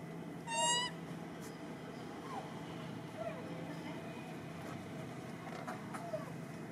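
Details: Loud, brief scream from baby monkey Rartin, acting aggressive and impolite to his mother: a single shrill, richly harmonic cry near the start, then only faint chirps and steady low hum.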